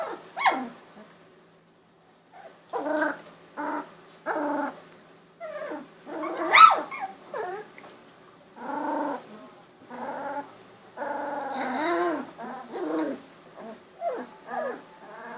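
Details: Young Golden Retriever puppies, 16 days old, recently opened eyes, walking and tumbling; a busy stream of short harmonic growls, whines and whimpers with several sharp high yips, nearly continuous over fifteen seconds.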